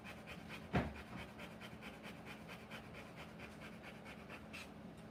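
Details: Rottweiler in labour delivering puppies, panting in quick breathy bursts about three per second, soft and regular throughout, interrupted early by one loud knock, with a low steady hum in the room.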